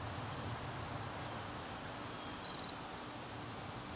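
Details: Garden crickets at dusk in September keep up an even, shrill, unbroken trill; a short faint chirp from another small creature breaks in briefly partway through.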